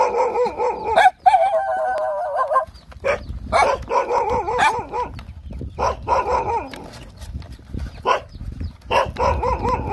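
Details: Nursing Rottweiler puppies, hungry, whine and yelp continuously: wavering tonal cries alternate with sharp clicks and short squeaks, and a steady shuffling of feeding bodies runs underneath.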